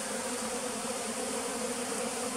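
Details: Pearl's bee at a bee farm in the flooded forest of West Tonle Sap Lake, Cambodia; a dense, steady droning hum fills the whole stretch without a break, with low humming bands under a broad hiss.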